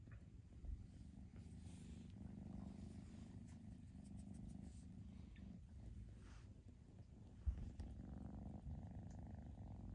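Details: Foster kittens being socialized indoors so they can find homes; a steady, low continuous purr rumbles throughout, with faint rustling of handling and a brief soft knock near the end.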